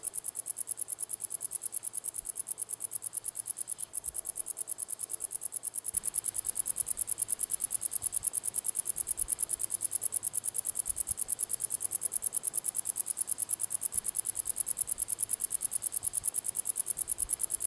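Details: A singing male common wart-biter (Decticus verrucivorus) gives a fast, steady run of high, dry ticks that grow louder partway through; recorded 1 August 2020 at La Côte d'Urbul, France.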